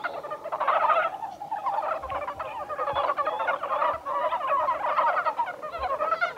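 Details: Chorus of Japanese brown frogs recorded 1 March 2020 at Kawaguchiko Field Center, Japan: overlapping quick rattling croaks pile into a steady murmuring mass, with occasional faint low knocks beneath.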